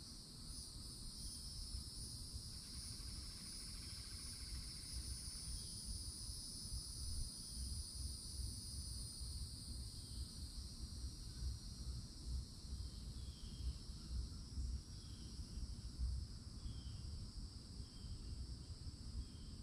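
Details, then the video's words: Summertime cicada chorus at the edge of a Florida forest, a continuous high-pitched hiss holding steady throughout, layered over constant low rumbling noise, with a few faint chirps in the middle range. "CICADA SOUNDS"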